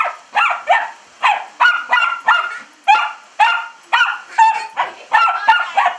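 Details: Buddy, a pet dachshund, barks at a window being sprayed with hose water while licking and biting at it; sharp, high barks repeat about twice a second, with some yipping, whining tones between them.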